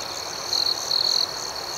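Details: Crickets chirping at night outdoors: two bright, high, trilled bursts of about a quarter and a third of a second rise over a steady, thin, high-pitched hum from a background chorus.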